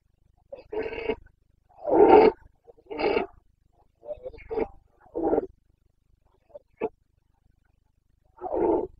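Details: Wild Carpathian stag in the Bucovina mountains during the 2022 breeding season, roaring repeatedly: a series of hoarse, throaty bellows and grunts roughly every second, one sharp bark, then a final roar after a pause.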